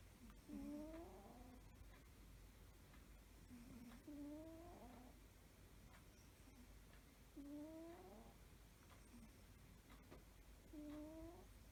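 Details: Domestic cat snoring peacefully while asleep: soft, whistling snores with a faint rising nasal tone, each breath drawn out about a second and repeated roughly every three to four seconds over a low steady room hum.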